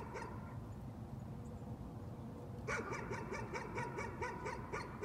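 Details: A dog's nuisance barking starts after a quiet stretch: a quick, evenly spaced run of about eight sharp barks over steady low-pitched background rumble.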